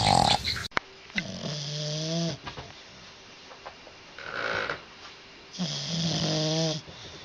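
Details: Dog snoring in its sleep: two long, droning snores with a low, tonal, slightly whistling edge, each lasting about a second, separated by quieter breathing; a short sharp noise at the start.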